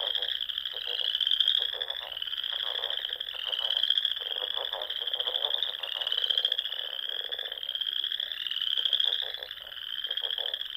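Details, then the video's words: Spring frog chorus from small lakes and ponds of the Nebraska Sandhills at dusk: unbroken high-pitched trills swelling and fading about every second, over bursts of lower, quickly pulsed croaking from other frogs. "RELAXING SOUNDS OF FROGS"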